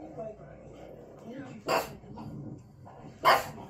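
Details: A female pug barks at the TV while watching videos of herself, giving two short, sharp barks over a murmur of voices and television sound.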